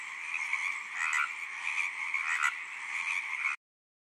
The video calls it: Tree Frog song